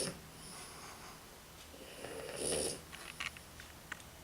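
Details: Tired French Bulldog Nikki gives a single rough, breathy snore that builds and fades midway, followed by a few small clicks and snuffles in a quiet room.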